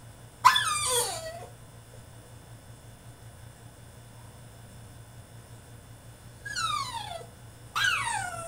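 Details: Caged French Bulldog in a tantrum gives a sharp squealing whine, then falls quiet for several seconds before two more falling whines near the end, over a low steady hum.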